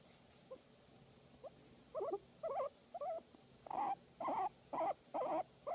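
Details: Guinea pig enjoying a massage, a few faint chirps building into louder wavering squeaky calls, about two per second, each warbling briefly at mid pitch; no other sounds beyond low hum.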